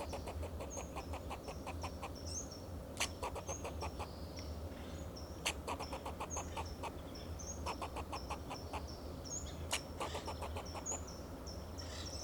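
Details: In Del Monte Forest, California, a fox squirrel on a Monterey pine calls in alarm to guard itself and its territory. Repeated bursts of fast, chuck-like barks punctuated by sharp cracks, with thin high whistling and low background hum.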